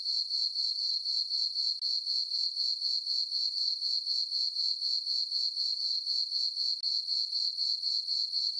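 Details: Night chorus of crickets from a summer meadow on a farm beneath a full moon: thin, high, metronomic pulses about four a second, uniform and uninterrupted.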